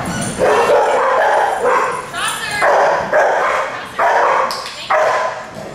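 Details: Dogs in a daycare group at Tails-A-Wagging, where nuisance, alert and demand barking occur; loud, harmonic barks come in bursts about once a second, overlapping one another in an echoing room.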